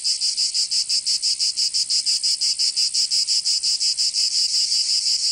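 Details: Cicadas in Provence, southern France, in summer: a loud, piercing, high-pitched buzz beating in quick, even pulses about three times a second, steady throughout, no other animals or noise.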